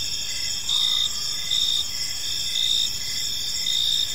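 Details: Evening park crickets: a bright, high continuous trill with slightly louder chirp pulses roughly once a second, a dense multi-insect chorus and nothing else distinct.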